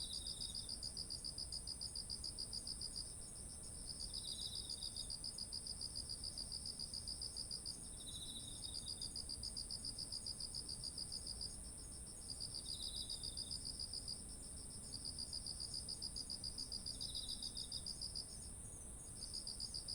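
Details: Insect chorus in autumn next to ripened rice: bursts of fast high chirps lasting a few seconds with short pauses, a brief lower trill about every four seconds, and a constant shrill hum above.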